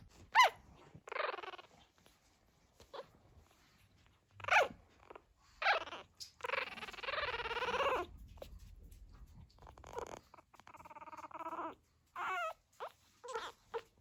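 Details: Pug puppies, fourteen days old, just starting to walk, give a run of high whining squeaks and whimpers, some drawn out and wavering, others short, with silent gaps between them and faint rustling.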